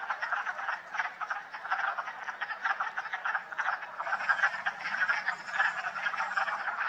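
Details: Wood frogs calling in full force at a vernal pool in West Hill Park in March, the sound of spring: a dense chorus of short, clucking, duck-like croaks overlapping continuously, with a brief laugh from a person.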